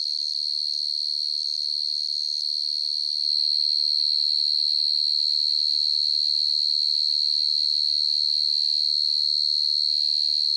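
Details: Cricket (dế mèn, dế cơm) chirping at night: an unbroken high, thin pulsed trill, grows louder after a few seconds, joined by a low rumbling hum in the background.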